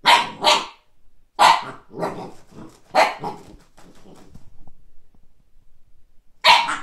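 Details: Siberian Husky puppy barking on first seeing a frisbee; sharp high yips in quick pairs, then scattered softer huffs and grumbles, and a final loud yip after a pause.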